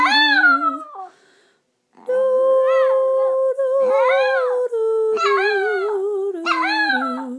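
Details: Indoors, five-year-old Chihuahua Chico joins in with a person's Christmas carol singing, giving repeated short wavering howls that rise and drop, after a silent gap, beneath the steady sung melody.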